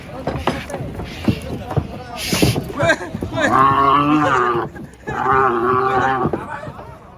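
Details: Angry cow bellowing while being unloaded from a truck in Indonesia: two long harmonic moos around the middle, each about a second, preceded by clattering, hoof knocks and men talking in Indonesian.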